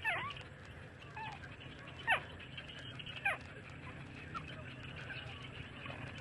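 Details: Thirty-day-old street puppies feeding from their mother give thin, downward-sliding squeaks at irregular intervals, about one every second, with a faint constant hum beneath.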